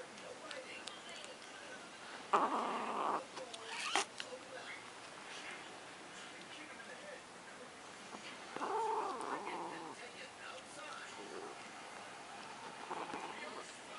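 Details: Luna, a pet cat, guards her macaroni and cheese with two harsh, noisy growl-like bursts, one short and one longer, separated by quiet stretches, with a sharp click and faint human voices nearby.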